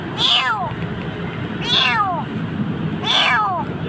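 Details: Three high, downward-sweeping cries come about every one and a half seconds from a frightened kitten found nearly dying in a dark spot in Jakarta, with a person coaxing it and faint background hum.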